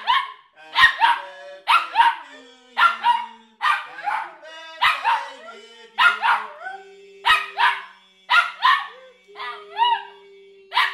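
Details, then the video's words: A one-year-old dog howling along at his birthday, louder than everyone else, as people sing happy birthday: repeated tuneful wailing syllables about once a second, with voices singing underneath. "Dog sings happy birthday to himself"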